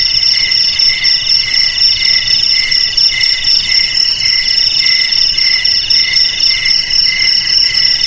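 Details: Several crickets trilling together, high piercing tones pulsing about four times per second in layered bands, steady and continuous for the whole stretch.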